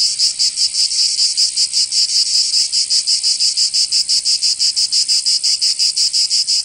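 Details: Summer cicada chorus from Provence in the south of France, a continuous shrill buzz throbbing in quick regular pulses, roughly three per second, with no other sounds.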